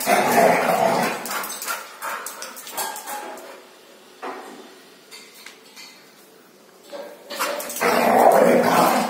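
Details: Two Labrador Retriever brothers playing and fighting: loud, rough growling barks in dense bursts at the start and again near the end, with quieter yips and whimpers in between.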